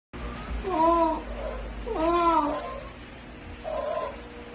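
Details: A seal crying, three drawn-out wailing cries with clear harmonics, each arching up then sliding down, the first two loud and about a second long, a shorter, softer cry near the end, over low background rumble.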